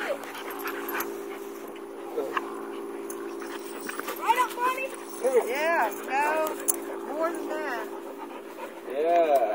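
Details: Two mixed-breed dogs playing, a Pitbull-Labrador mix and a German Shepherd-Labrador mix, making arched, whiny yips and squeals in the second half, with panting, scuffling, a steady electrical hum and a person's voice.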